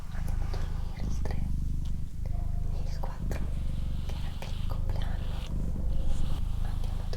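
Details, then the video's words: Doroti, a female pet cat, purring steadily in a deep rumbling drone, the rhythm breaking about once a second as she alternates breaths, with soft human whispering and small clicks above it. "Cat Purring"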